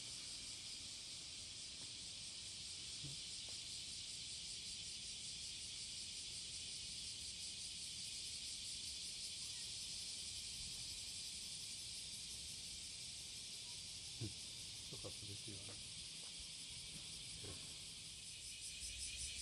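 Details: Courting cicada, July 30, 2017, morning, Passage de la Duee: a steady high buzzing hiss with a faint rapid pulse, broken by a few sharp clicks and knocks in the last seconds.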